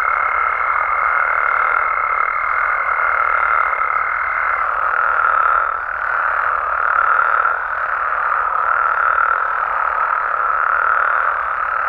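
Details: Mexican frogs and toads calling at night in their natural habitat: a dense, unbroken chorus of overlapping trills with a steady high whine during the first few seconds and gentle pulsing swells after it.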